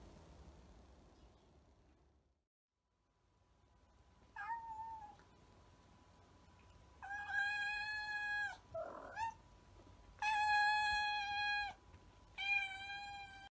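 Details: Pet cat outdoors being given cheese treats, a short meow followed by three long, bright, sustained meows with a brief throaty chirp between, steady faint hum underneath.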